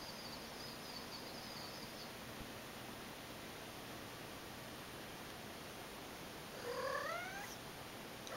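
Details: Aki, a pet cat playing with her toys indoors, gives one short upward-sliding chirp near the end, harmonic and rising, after a long stretch of quiet room hiss.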